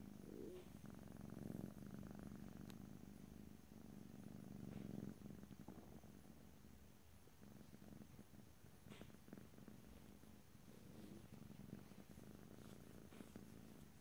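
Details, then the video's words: Close stereo recording of a purring cat: low, even rumbling that pulses through inhale and exhale cycles, fading somewhat in the second half, with a few soft clicks and rustles. "ASMR Cat: Purring"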